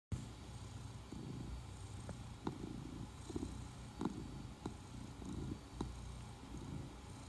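A Norwegian Forest Cat purring with a steady, low rumbling vibration.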